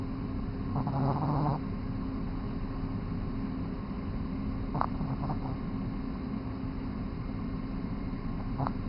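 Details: Mega Man, a Boston Terrier puppy of 3 months, asleep and snoring; a longer rough breath near the start, then brief snorty rasps later, all over a steady low background hum.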